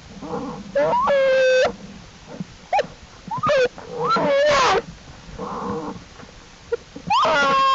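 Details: Wild American black bear cubs of Jewel, exploring outside the den with their mother on April 2, 2012, studied by the Wildlife Research Institute. Loud, rising, harmonic squalls come in bursts of about half a second, with soft murmuring and low rumble in between.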